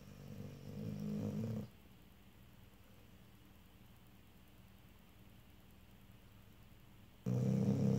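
A Vizsla snores with a low, rough rumble, loud breaths separated by a long quiet pause.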